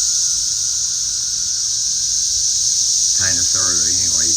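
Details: Many cicadas flying around garden trees make a dense, even, high-pitched buzzing wall of sound; a man talks over the last second.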